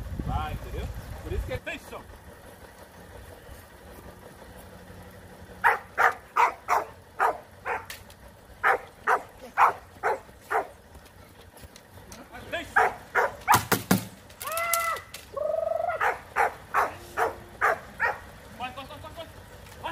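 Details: Rottweiler puppies in a guard-work training routine, giving a run of sharp, harmonic barks from about the sixth second onward, several per second in uneven bursts, over a low engine-like rumble and some background noise.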